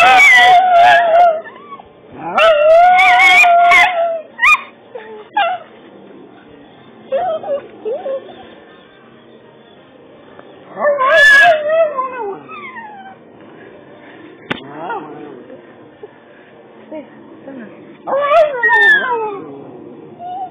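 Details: Two dogs howling along to Jill Johnson's song Vilken härlig dag: long wavering howls rising and falling, in bursts at the start, near eleven seconds and near eighteen seconds, with the music playing quietly underneath.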